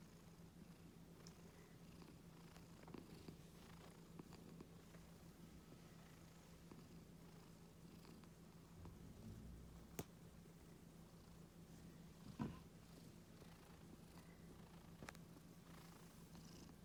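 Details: Pet Scottish Fold cat purring while stroked around the neck and ears, described as calm and gentle; a soft, steady low rumble runs throughout, quiet and continuous, with faint indoor rustles.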